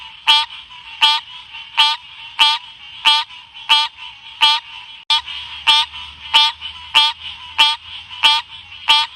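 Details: Green cascade frog giving about fourteen sharp, buzzy, harmonic notes in an even series, one roughly every 0.65 seconds. A faint low hum enters partway through.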